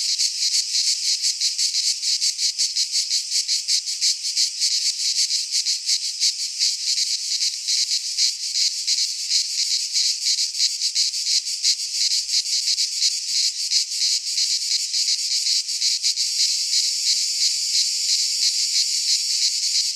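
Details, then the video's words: Greek midsummer pine-forest cicadas in full chorus: a shrill, sustained metallic buzz with fast regular pulsing that smooths out over twenty seconds; no birds or people. "Cicadas singing in midsummer - Nature sounds from the Greek fauna - Sounds of cicadas"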